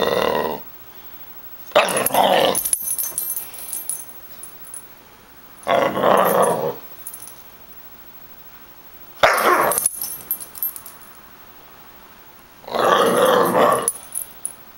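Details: Bella, a half German Shepherd, half Rottweiler puppy, growling indoors while tearing tissues to shreds; five rough, noisy growl bursts of about a second each, broken by quiet pauses, with faint rustling between.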